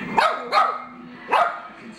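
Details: Dog giving three sharp, loud barks, two close together and a third after a short pause, over a steady low background tone.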